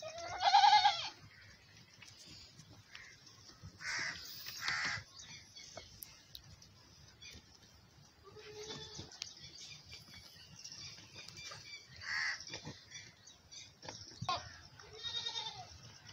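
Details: A nanny goat suckling her big male kid on a farm. A sharp, loud bleat opens, followed by several fainter, scattered bleats over a background of rustling and light farmyard noise.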